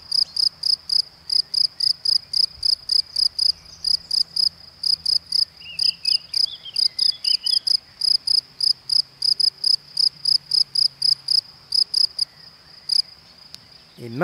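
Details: A male field cricket (Gryllus campestris) in spring Creuse countryside sings steady, shrill, even chirps about four a second near his burrow to attract a female, having changed singing post, raising his forewings and turning to redirect his song.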